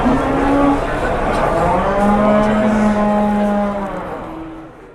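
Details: Jumbo cattle brought in for sale in Indonesia: a short low moo at the start, then a long, steady, deep moo of about two seconds with rich harmonics, fading out over a noisy background.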